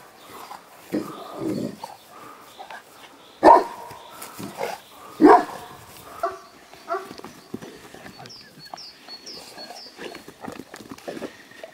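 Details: Female Mastiff named Sabra z Zamku Walkirii, from Molos Dream Kennel in Poland, born 9 June 2007. Several loud, short, broadband barks come in uneven bursts with quieter gaps, and high, brief chirping notes appear near the end.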